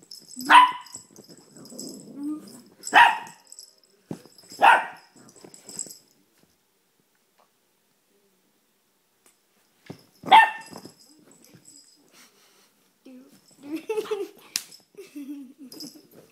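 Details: Blue Note, a male Chihuahua about nine months old, barks while playing on a couch for one of the first times, recorded on a phone: four sharp barks in the first five seconds, another near ten seconds, then softer growly yaps and snuffles.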